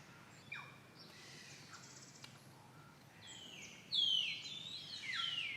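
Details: A female monkey with her baby, threatened by another monkey, gives shrill, squealing alarm calls that sweep downward in pitch.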